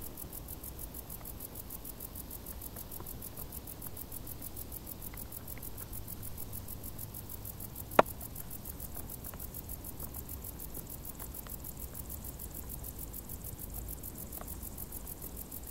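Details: Summer crickets in tall grass give a fast, even stream of high pulsed chirps above a low rumbling hiss; one sharp click sounds near the middle.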